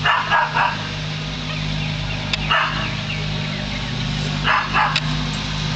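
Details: Pet dog barking at a hot air balloon, filmed close up: five sharp barks, in pairs near the start and end, with one single bark between. A steady low hum runs throughout.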